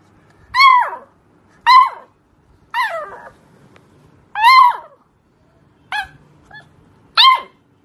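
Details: A beagle puppy gives high, sharp yelping barks. Each one drops steeply in pitch, and they come in a steady series about every second or so, six in all. The indoor room is otherwise quiet.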